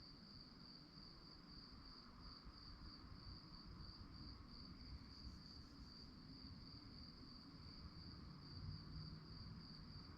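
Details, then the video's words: Crickets at night, chirping in a fast, steady pulsed trill on one high, thin pitch that runs unbroken through the whole stretch, over a soft low rumble of background noise. "relaxing sounds of crickets"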